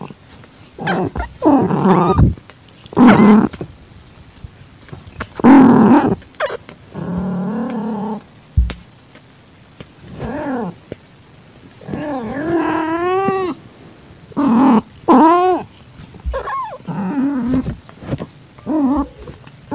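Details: Calitabby cat in heat beside an accepted newborn calico kitten whose eyes are just opening, evening of 8 September 2021. Short rough bursts give way to several clear, bending meows in quick succession, with pauses of quiet between calls.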